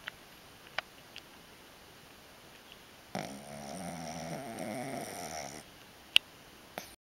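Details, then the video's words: Bessy, a dog, snoring while napping indoors, a sleeper who sometimes rests with eyes open in REM; one long raspy, rattling snore swells from about three seconds to five and a half, framed by quiet room tone and a few sharp clicks. "Snoring REM Bessy"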